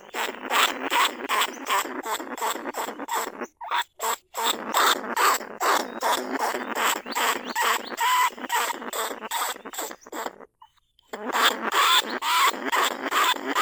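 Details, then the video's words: Caged lesser bandicoot rat, recorded live in 2569 at Na Lao, Nong Khu Phai, calling other rats toward the trap. Dense, rasping squeaks pulse over two per second, with brief gaps, over a grainy hiss. "ต้นฉบับเสียงต่อหนูพุกใหม่ล่าสุด หนูอีตั้นชุดที่2 ร้องเรียกหนูในกรงเพล็กดักหนู"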